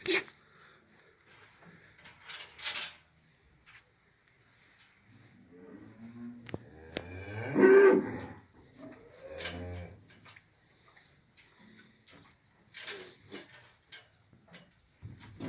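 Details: Heifers, six young cattle aged six to nine months, offered for sale in Afyonkarahisar, Turkey, give a drawn-out, harmonic moo near the middle, followed by shorter lowing. A man talks before and after, with scattered knocks in the barn.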